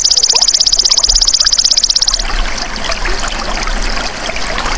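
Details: Golden grasshopper, natural sound kept as a masteran for cage birds: a shrill, rapidly ticking trill lasting about two seconds, then only a soft trickling, water-like background.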